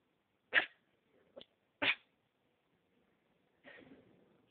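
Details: Dog barking: three short, sharp barks close together, then a rougher, longer bark after a pause, with silence in between.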